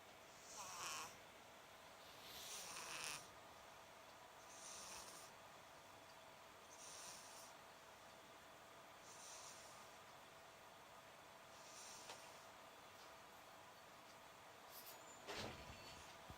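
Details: Cat snoring while asleep in summer: soft breathy snores repeated about every two seconds, each a brief hiss-like puff, over a steady low hum.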